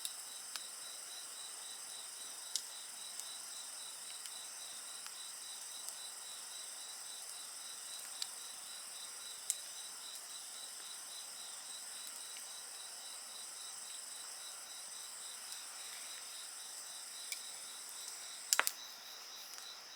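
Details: Insect voices form an unbroken shrill hum with a rapid pulsed trill, accompanied by a quietly crackling bonfire with a few louder snaps, including a burst near the end.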